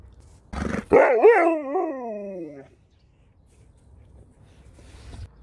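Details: Husky and Malamute competing over a single chicken ball treat, one dog giving a short rough yelp followed by a wavering, talkative whine that rises and falls for about two seconds before stopping; a person speaks to the dogs nearby.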